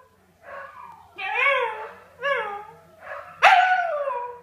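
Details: Scottish Terrier howling along with the neighbours' huskies in their daily howling session; a series of short wavering rising-falling howls that build to one loud, long, descending howl.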